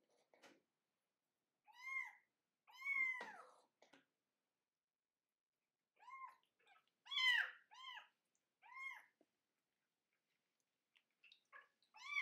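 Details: A 25-day-old kitten crying during its first bath. Short, arched, high mews come singly and in quick bursts of two or three, separated by silent gaps, in a small quiet room.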